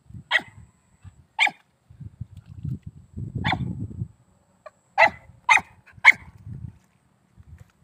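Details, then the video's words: Hunting dog of an old native Vietnamese mongrel line barking: about six short, sharp barks spaced one to two seconds apart, the last three in a quicker run, over soft low rustling and thumping in between. "Chó săn dòng chó cỏ đời trước"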